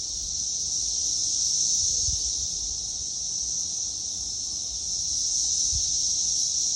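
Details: Cicadas fill the air with a continuous, high-pitched buzzing drone that swells and fades slightly, recorded in 2021.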